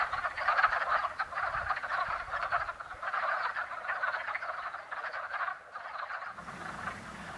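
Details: Wood frog chorus at a spring woodland pond during mating season: somewhat distant clucking croaks in waves that dip and swell, with a low rumble entering near the end.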